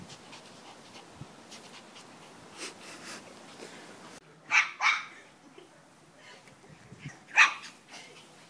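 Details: Pomeranian puppy barking during play: after a few quiet seconds of faint rustling, two high, yappy barks come close together, then a third sharp bark follows a few seconds later.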